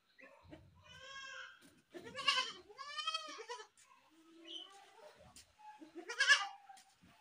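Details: Goats bleating: a wavering, harmonic-rich bleat near one second, then a loud quavering scream-like bleat around two to three seconds, a shorter call near four and a half seconds, and a final harsh cry at six seconds.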